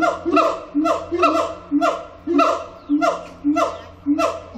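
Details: Siamang song at Zoo Antwerpen, Symphalangus syndactylus: rapid, regular series of sharp barking whoops, about two per second, each a bright harmonic burst over a low steady hum.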